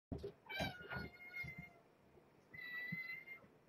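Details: Mother cat, a former pregnant stray now caring for five kittens, meowing at a late-night bedtime feeding: a long drawn-out harmonic meow, then a second rising-falling meow, with soft rustling and a person greeting her.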